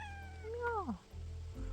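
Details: Village domestic cat, a near copy of its mother in looks and habits, out walking with its owner, gives a single rising then falling drawn-out meow lasting about half a second, between a woman's low speech.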